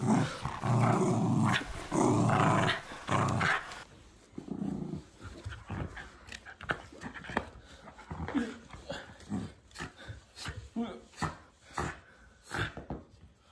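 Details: Miniature Schnauzer indoors playing tug-of-war, recorded March 2016: about four seconds of loud, rough, continuous growling, then shorter irregular growls and snorts in bursts roughly every second over a quiet room.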